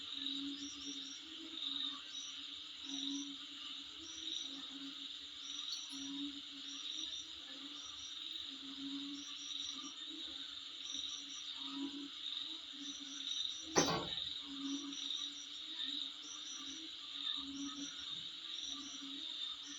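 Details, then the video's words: Insects heard in front of a home hold a steady piercing drone for the whole stretch, dotted with short regular chirps, lower pulsing bursts, and one sharp click near the middle. "Sound Of Insect In Front Of My Place"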